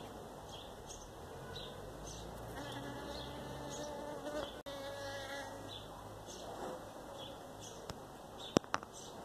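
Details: Honey bee recorded in Pakistan, a continuous buzzy hum with layered rising and falling tones as the insect moves, steady throughout against a faint noisy background with a couple of sharp clicks near the end.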